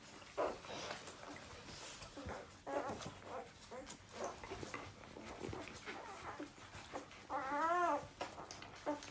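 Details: Newborn puppies whimpering indoors in a small room: scattered soft squeaks and mewing cries, ending with a louder arched whine near the end, over faint rustling.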